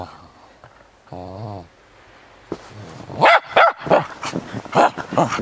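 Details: Cairn Terrier playing in the snow; after a quiet opening with a short low buzzing sound, a run of loud, quick barks fills the second half.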